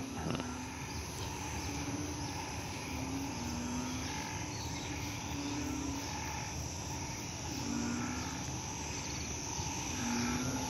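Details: Frogs, including banded bullfrogs, call in a night chorus in a hospital garden after rain. Short, low humming notes recur every one to two seconds over a steady, high, insect-like drone.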